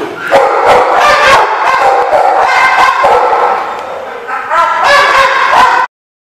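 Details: A loud jumble of dogs barking and yipping together on 10/10/15 at The Barking Lot, with the calls running on without a break and then cutting off abruptly into silence.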